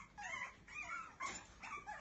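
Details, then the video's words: Biewer Terrier puppy whining in a series of thin, high, wavering whimpers, each dipping and rising in pitch, with short pauses between cries and no other clear sounds. "щенок бивера"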